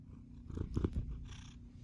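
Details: Domestic cat purring: a low, rumbling drone over a brief moment, with a few soft clicks and rustles partway through.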